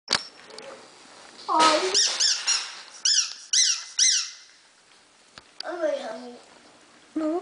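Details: Havanese puppies at five weeks old, a litter indoors, giving bursts of high squeaky yelps and whines, several sharp repeated cries around the middle, with a person talking to them in a small room.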